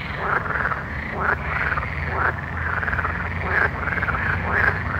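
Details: Night frog chorus with rising-then-falling croaks from several callers, spaced roughly a second apart, above a constant low background hum.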